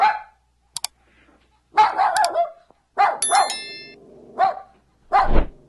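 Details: Short dog barks and a yip mixed with brief clicks and a thin ringing tone, ending in a loud thump-like bark.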